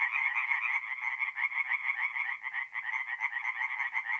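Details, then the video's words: Singing tree frogs at a forest pond at night, mid-April in North-East Italy: a crowded chorus of clipped, grating croaks, rhythmically pulsing with a brief dip in loudness midway, high and buzzy throughout. "relaxing forest pond by night with singing tree frogs"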